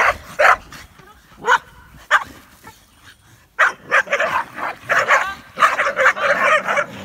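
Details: Rosie, an Olde English Bulldogge in obedience training in Central Minnesota, gives sharp single barks about a second apart, then a tighter run of harsh, loud barks and yips toward the end.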